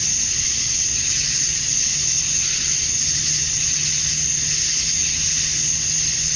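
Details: Male cicadas calling for females at summer dusk in Georgia, USA; a constant shrill, sizzling drone with mild swells, accompanied by a steady low hum in the background.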